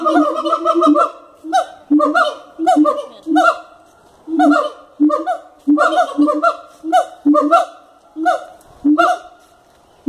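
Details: Siamangs calling at Cotswold Wildlife Park: an opening flurry of rapid nasal barks, then separate honk-like calls and short clusters at irregular intervals of about a second.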